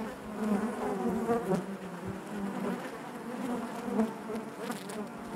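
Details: Inside a honey bee hive, many bees produce a continuous low humming drone with stacked overtones, fairly even in loudness with small rises and dips.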